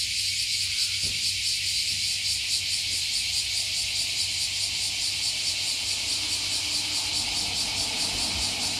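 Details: Many cicadas that lived beneath a 50-year-old tree have climbed up and sing together, overlooking Fukuoka Bay, Japan. Dense continuous high buzzing with fine rapid pulsing fills the clip, over a faint low hum.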